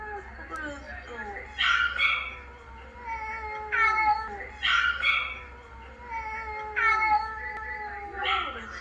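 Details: A family of ginger house cats in New Zealand responds to a recording of a companion's sad vet-trip meowing: repeated plaintive meows, each sliding downward, about every one to two seconds, with people talking underneath.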